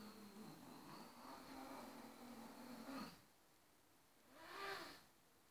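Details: A Ragdoll cat gives a long, low, wavering growl-like call, then a brief, higher rising cry as a quiet grooming session between two Ragdolls turns into a noisy playfight over no-go grooming zones.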